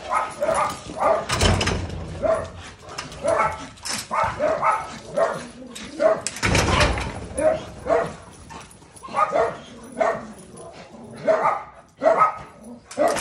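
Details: A dog barks over and over in harsh, loud bursts, roughly one or two each second, keeping up a steady run for about thirteen seconds. Occasional heavy broadband thumps break in between the barks.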